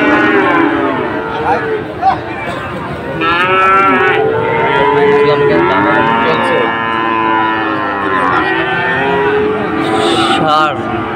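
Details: Sahiwal breed bulls at a cattle market in Dhaka, Bangladesh, on 16 September 2024, lowing in long, drawn-out, overlapping moos from several animals, with a steady crowd murmur throughout.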